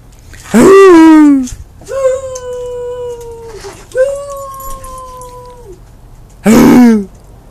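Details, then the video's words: Dog giving happy barks when asked: a loud rough yowl, two long level howled tones of about two seconds each, then another loud harsh burst, indoors and quiet between calls. "Happy barking"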